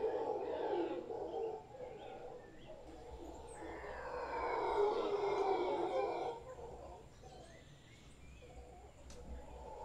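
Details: Deep guttural roaring comes from a large howler monkey troop in a tree in Guanacaste. It builds in overlapping waves, peaks around five seconds, then drops away to a quieter murmur near the end.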